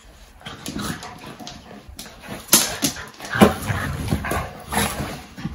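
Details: Play fight between fox red Labrador pup Maverick and his chocolate Labrador friend Leo: a quiet start, then sudden louder growls and a sharp bark-like yelp, followed by more grumbling and scuffling.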